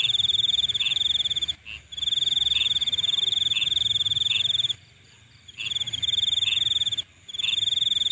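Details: Nighttime insect chorus with a shrill, finely pulsed trill in bursts of one to three seconds, separated by brief silences. Soft lower chirps recur at a regular pace underneath.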